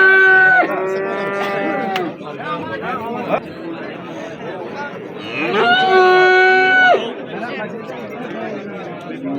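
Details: Two long lowing calls from bulls at the Amudaryo livestock bazaar on 27 April 2025, each sustained over a second, the first opening the recording and the second about six seconds in, with steady market chatter between.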